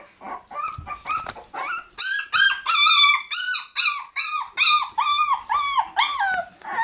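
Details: Litter of puppies in a puppy room on May 20, increasingly noisy; a rapid run of loud, clear whining yelps, each rising then falling, repeated roughly twice a second, several pups overlapping at the start.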